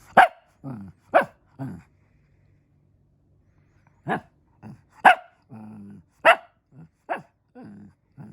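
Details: Fluffy Shih Tzu barking because it wants to play: sharp single yaps spaced about a second apart, each followed by a softer low grumbling whine, with a quiet pause in the middle of the sequence.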